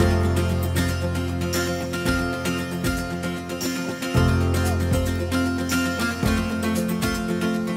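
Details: Upbeat plucked guitar music with a steady bass line plays throughout.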